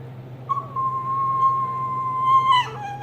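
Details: A small tan and white Chihuahua, the younger dog, pesters an older Jack Russell/Rat Terrier mix during play, giving a long, steady, high whine that ends with a sudden drop in pitch.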